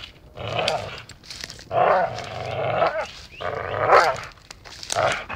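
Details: Dachshund playing and biting, letting out rough, harmonic play growls in about four drawn-out bouts, each lasting roughly a second, with short quiet pauses between them.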